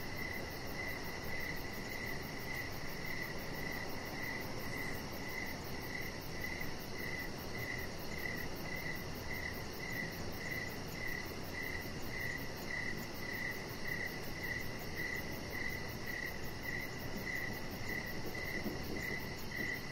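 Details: Outdoor cricket chorus on an evening deck: a long run of bright, thin chirps at a regular rhythm near two per second, set against constant low background noise.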